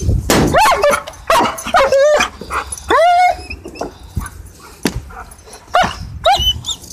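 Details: German Shepherd vocalising during tug play: a rapid, irregular series of sharp yelps, barks and short rising whines with scuffling noise between them.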